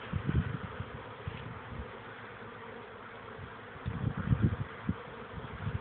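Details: Honey bees, young workers on their orientation flight, recorded on 13 May 2013. A dense, low droning buzz with pulsing louder swells near the start and again toward the end, as bees pass close.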